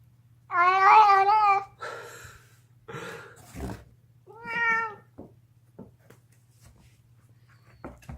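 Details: Indoor domestic cat, deaf, screaming while chewing a bone: a loud wavering yowl, then scattered crunching and clicking from gnawing, a shorter rising-falling wail near the middle, and faint chewing sounds afterward above a low background hum.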